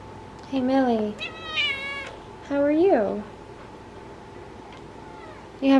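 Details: Orange house cat Millie chatting indoors in a string of clear meows: a short falling call, a long wavering one, then a rising-falling chirpy meow and a final onset, over a constant low electrical hum with quiet human speech.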